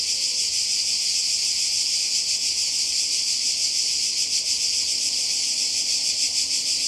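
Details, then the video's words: Seaside cicadas in Croatia during summer 2020 fill the air with a loud, sizzling, high buzz that throbs quickly and evenly, unbroken from start to finish. "Kroatien Zikaden und Meer"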